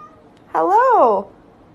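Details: Single talking-cat meow, about two thirds of a second long, rising and then falling in a smooth arch like a spoken greeting, in a quiet indoor room.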